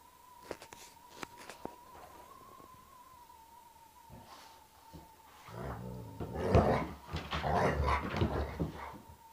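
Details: Alaskan Malamutes and a Springer Spaniel playing rough together indoors, three malamutes against one spaniel; quiet shuffling and thumps at first, then a burst of loud rumbling growls and harsh vocal noise in the second half, with a steady high tone throughout.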